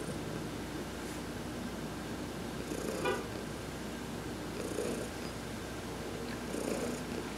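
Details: Heidi, an adopted cat, purring as she is massaged in the sun on November 19, 2020; a soft continuous rumble with three gentle swells spaced about two seconds apart and a brief higher click.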